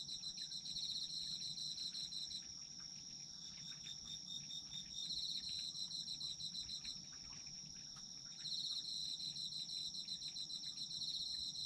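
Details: Layered autumn insect chorus for sleep: a steady, thin, high trill runs throughout. A faster pulsing chirp trill comes in bursts of a few seconds, falling silent twice for stretches of about two seconds before restarting.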